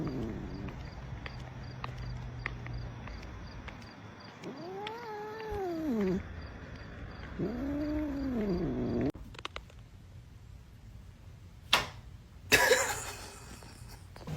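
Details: Domestic cat giving two arched, wavering meows with rich harmonics, each lasting about a second and a half, over a background hum; clatter and sharp knocks follow.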